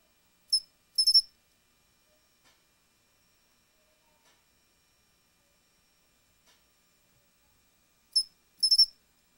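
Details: Pine cricket (Matsumushi) giving its two-part phrase of one clear high chirp followed by a rapid triple chirp. The phrase is repeated twice, roughly eight seconds apart, with near silence between.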